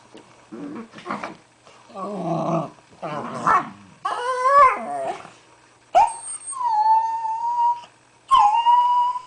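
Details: Two pet Dachshunds inside an igloo making weird gremlin noises: strangled, warbling whines and yodelling howls in uneven bursts, ending in long, steady, high whining notes that break off sharply and start again.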